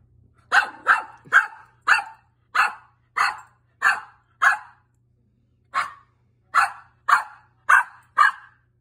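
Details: Pet dog indoors barking at an air vent: a rapid series of sharp, mid-pitched barks, about one every half second, a short pause near five seconds, then the barking resumes; quiet room otherwise.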